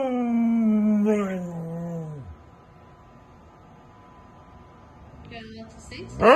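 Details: Siberian Husky throwing a fit about staying in: a loud harmonic scream sinking in pitch and cutting off after about two seconds, a long quiet gap, then short yelps and the start of another rising cry.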